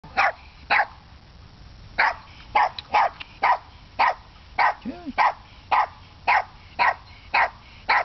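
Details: Lulu, a pet dog wary of coming close for treats, barks in short sharp bursts, roughly two per second with uneven gaps, one brief whine-like tone in the middle; no other sounds stand out.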